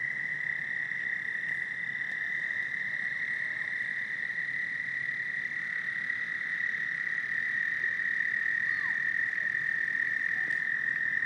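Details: A loud chorus of toads at Lake Hiawatha, heard two blocks away, gives a steady, high, unbroken trill that fills the whole recording.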